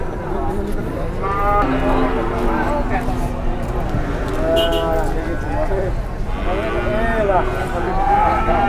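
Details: Several moos from enraged cattle leaving a truck, some rising and bending at the end, overlapping with shouting voices and busy background noise.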